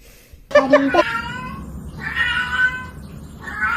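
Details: Kitten meowing among voices: a short burst of stacked, wavering tones, then a longer drawn-out meow and a fainter rising one, with indoor chatter behind.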